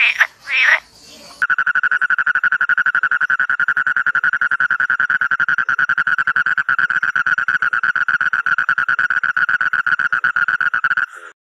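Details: Frog calling: a long, steady, rapidly pulsed buzzing trill that runs unbroken for about ten seconds after a short burst of other noise at the start.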